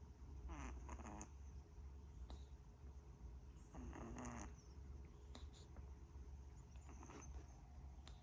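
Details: A cat snoring: two raspy, buzzing snore breaths about three and a half seconds apart over a constant low hum, with scattered light clicks and taps between them.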